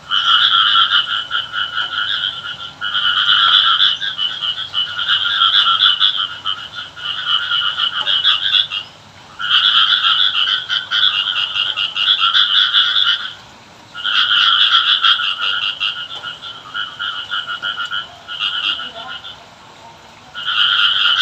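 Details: A frog calls in long, rapid rattling trills, each running several seconds before a short pause, on a rainy day in a village, frogs said to call the rain.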